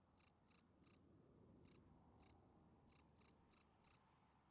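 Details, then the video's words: Bright, high-pitched chirps from a field cricket at night, grouped in short bursts of three then pauses, each chirp clean and ringing over soft background noise. "Night Cricket Singing Sounds. Field Cricket chirping"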